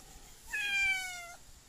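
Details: Domestic cat giving a single clear meow, tonal and slightly falling, under a second long, with faint background hiss.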